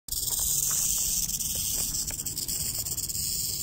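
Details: Rattlesnake in Orange County, California, giving a steady, dense, high hissing buzz that holds for the whole stretch with slight flutter, plus faint low rumble underneath.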